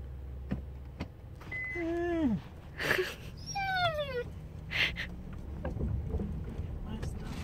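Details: Pet dog Maggie, a female who makes this noise when she sees squirrels: two high whining vocalizations, the first curving down in pitch, the second a longer falling whine, over car engine hum and faint human speech.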